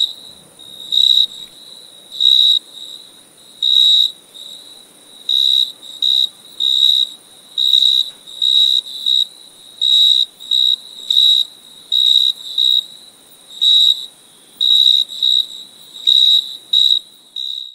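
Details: Cricket chirping in loud, high, pure-toned bursts, each about a second long, repeated every one to two seconds in an uneven rhythm against a quiet background.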